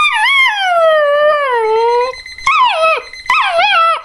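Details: Border Collie puppy howling in reaction to an alarm clock: a long wavering tone sliding slowly downward, then two shorter rising-and-falling howls, the harmonics rich and clear.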